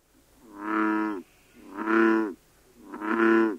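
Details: American bullfrog from the third known breeding population in the UK, October 2010: three deep, moaning, harmonic-rich croaks, each about 0.7 seconds long, given roughly every 1.2 seconds against a quiet background.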